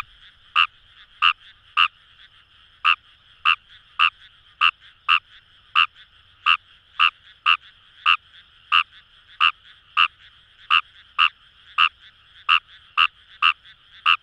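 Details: Fejervarya kawamurai calling in paddy fields along the Kamo River, Itoshima, Fukuoka, Japan; short sharp croaks repeated about every half second in a steady series, over a dense chorus of other frogs.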